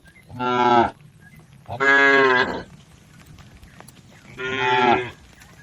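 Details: Herd of cattle crossing a river on the way to their pen: three loud, harmonic-rich moos, each under a second, separated by short pauses, over low background rumble.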